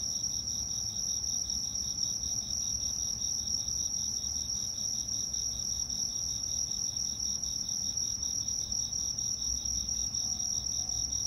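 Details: An autumn insect chorus recorded in 2022 with steady, high-pitched trilling and pulsing chirps, continuous throughout.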